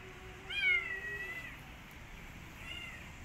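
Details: Street kitten, newly rescued, wanting to go back outside and not eating: one clear, high, drawn-out meow that falls slightly in pitch, followed by a softer, fainter meow against a steady low hum.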